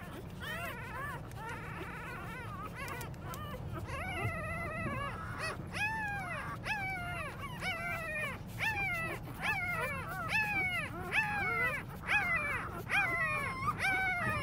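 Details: Newborn English Labrador Retriever puppies, a litter born January 6, 2020, whimpering and squealing: many overlapping short rising-falling cries about once a second, growing denser and louder after four seconds, over a low rumbling background.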